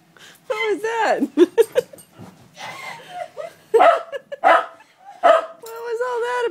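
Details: Several pet dogs howling together indoors, one missing its owner and the others joining in; long wavering harmonic howls with falling and rising slides, broken by short yips and whimpers across the clip.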